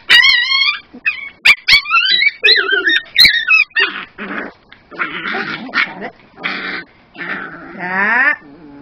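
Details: A 9-week-old, 2 lb male Miniature Pinscher puppy whines in high wavering cries, then breaks into harsh, raspy snarls of protest while his harness is taken off over his head.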